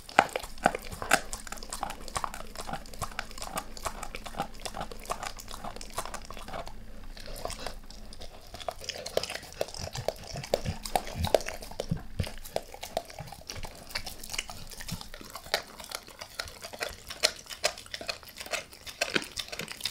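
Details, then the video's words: Dog named Max working on a beef rib in a small room, no talking: steady rapid chewing and gnawing clicks, with brief crunchy bites at irregular intervals and a short quieter pause partway through. "Max Eats | Beef Rib | ASMR DOG EATING"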